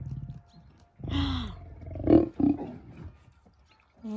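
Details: Lions in Crimea, where the lioness Simona pairs with Girey instead of Sultan. Short harsh roaring bursts at about one and two seconds follow a low growl, with a man's voice beforehand.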